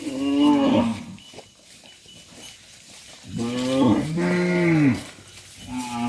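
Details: Dozens of tame farm cattle herded back into their pen, lowing in long harmonic moos: one rising-falling call, a pause filled with shuffling noise, then a pair of overlapping deep moos and a final short one.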